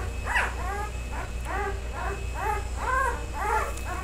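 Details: Three male Karakurt dog puppies give high whining yelps, each call arching up then down in pitch, repeated about twice a second over a steady low hum.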